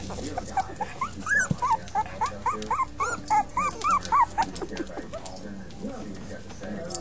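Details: Puppies from a litter of five yelping in a quick regular series of short arched squeaks, about four per second, against a steady low background hum and some rustling.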